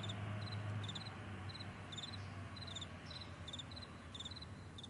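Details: Vast morning meadow with crickets producing rapid high chirps in pairs and short clusters, several each second, over a steady low background drone.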